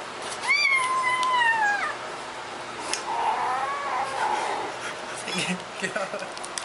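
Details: Domestic cat giving one loud, drawn-out meow that starts high, then slides steadily downward over about a second, followed by muffled rustling and indistinct voices in a small room.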